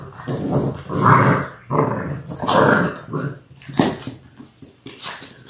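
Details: Litter of six Labrador Retriever puppies, six weeks old, born January 18, 2022. Growling and grumbling vocal bursts repeat roughly every second with some higher yelps, as in rough play.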